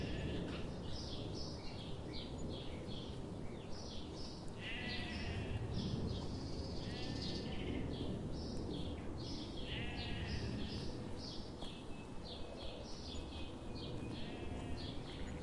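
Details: Sheep grazing in a forest under the morning sun; a run of wavering, harmonic bleats recurs through the clip, some overlapping, over a constant broad low rumble of background noise.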